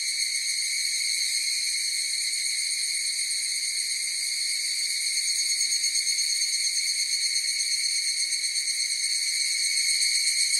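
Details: Massed song of higurashi cicadas, a constant shrill ringing in several high layers that grows slightly louder and more pulsed toward the end.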